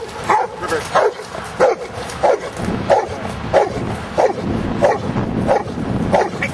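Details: Giant schnauzer playing in rain and mud, recorded outdoors: steady series of short barks, roughly one every two-thirds of a second, over a constant hiss of rain.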